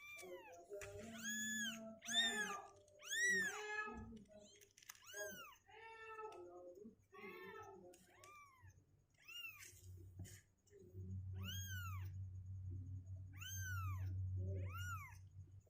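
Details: Two-week-old kittens, healthy and with strengthening legs, restless and unwilling to stay in their box indoors; a rapid series of high, arched meows, several overlapping, with low hum and rustling later.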